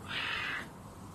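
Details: Caracal named Adolf gives a short breathy hiss of about half a second, a rushing broadband exhale that fades quickly, between calm spoken Russian words addressed to him.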